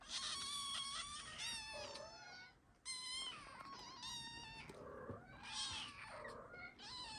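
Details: Ragdoll kittens, the first litter of a Ragdoll mother, asking for food indoors: several high, thin meows overlapping and rising then falling, in quick succession with brief breaks.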